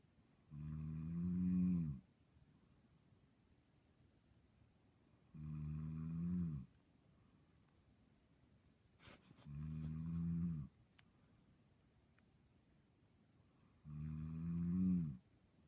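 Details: Sleeping dog snoring while dreaming: four low, droning, rumbly snores, each about a second and a half long, recurring roughly every four and a half seconds, with near silence between and a brief click midway.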